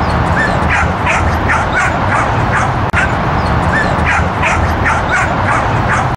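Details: Whippet named Bailey at a sheep herding class, 30 October 2013, uninterested in the sheep: a steady stream of quick, shrill yips and whimpers repeating several times a second against heavy blustery background noise.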